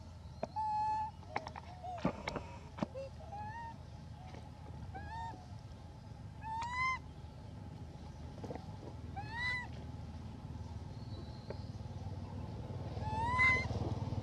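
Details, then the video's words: Elpida, a female hybrid monkey, requesting food: a string of clear, arched coo-like calls, each rising then falling, spaced irregularly across the stretch, over a low steady rumble with scattered clicks. "Elpida Requests Foods By Her Beautiful Sound"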